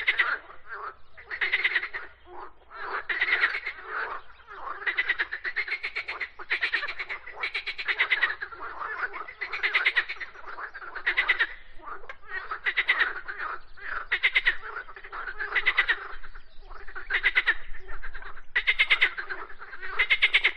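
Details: Frog singing: a steady run of raspy, pulsed croaks in bursts about a second long, repeated roughly every one to two seconds with short gaps, fairly rich and mid-pitched, with no other animals or background sounds.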